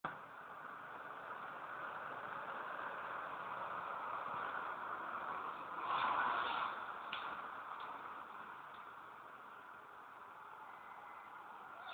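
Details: Steady broadband hiss with a brief louder rustle midway; no animal sound is heard.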